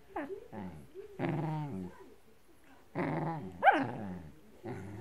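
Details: Blue merle Shetland Sheepdog growling while attacking a blanket indoors: short bursts of rough, harmonic growls with rising and falling whines, in clusters separated by brief pauses, one sharper yelp-like note near the middle.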